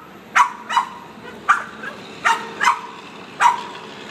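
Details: A Boston Terrier barks in sharp, excited bursts, six quick yaps spaced unevenly over a few seconds, going crazy as the windshield washer is used.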